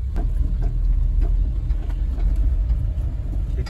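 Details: A deep idling engine rumble dominates, with light rhythmic clicks and knocks above it and no animal sounds.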